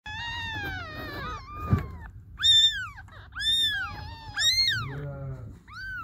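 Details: Hungry baby kittens meowing for their mother cat: several high, arching meows with rich harmonics, overlapping and repeated in quick succession, each rising then falling, over a low background hum.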